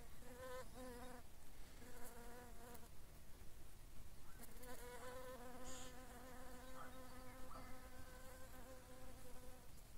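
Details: ['Sandy carder bee buzzing, a bumblebee told apart by its sound, locally numerous though rare overall: low humming bursts come and go, then a longer wavering drone, with brief clicks and light background hiss.']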